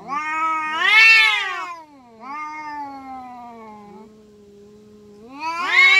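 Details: Domestic village cats locked in a fight in Indonesia. A rising, harsh yowl swells at one second, a long wavering lower moan drags on for several seconds, and a fresh rising screech starts at the end.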